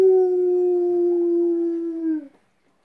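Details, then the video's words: A steady, drawn-out howl from Cujo the dog, who is calling back to coyotes; the tone holds level, dips slightly and then cuts off sharply, followed by silence. "Dog howling"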